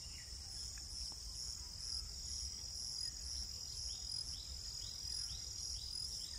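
A dense, high, steady insect trill fills the air throughout, with faint repeated rising chirps and a low rumble of background noise beneath.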